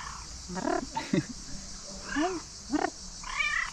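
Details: Cat by a tree calling: a handful of brief, rising-and-falling meows spaced across a few seconds, mixed with low Dutch speech from a person nearby.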